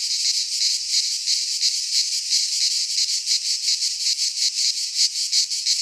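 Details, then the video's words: Cicadas of the Greek fauna singing in a pine forest at midsummer, a sharp, sizzling high drone rising and falling in rhythmic waves about twice per second. "Cicadas singing in midsummer - Nature sounds from the Greek fauna - Sounds of cicadas"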